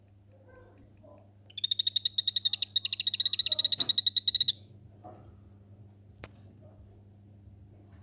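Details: Captive Anthony's poison arrow frog, Rio Saladillo locality, calling in a paludarium vivarium: a rapid, even train of high buzzy pulses lasting about three seconds, then a quiet room with a low steady hum.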